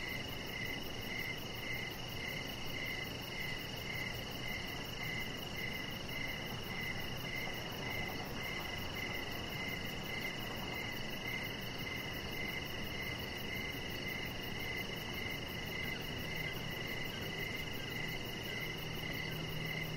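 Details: Outdoor chorus of crickets in the evening, recorded on a deck with a chihuahua puppy nearby: regular mid-pitched chirps repeating almost twice each second for twenty seconds, backed by dense hiss and a fine high-pitched pulsing trill.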